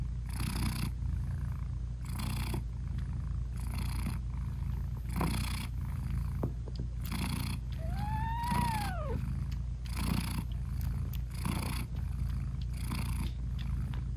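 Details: Mother British Shorthair cat purring to her tiny nursing kittens; a continuous deep purr pulses in regular breathy waves, broken near the middle by one soft, arched, rising-then-falling meow.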